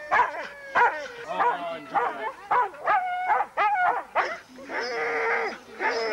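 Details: Racing huskies in the Forest of Dean, November 2001, yip in quick repeated bursts, then break into a sustained wavering howl lasting over a second, several dogs overlapping.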